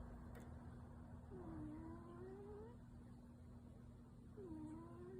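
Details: Yuki, a brown tabby pet cat, deep asleep and possibly dreaming, gives two soft, drawn-out whining tones that rise in pitch, one after the other, over a steady low household hum.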